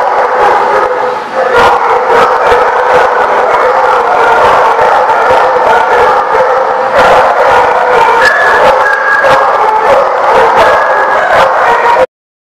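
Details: At The Barking Lot on 25 April 2014, a crowd of dogs keeps up an unbroken din of barks and yips with some howl-like drawn tones, steady and loud for about twelve seconds before cutting to silence.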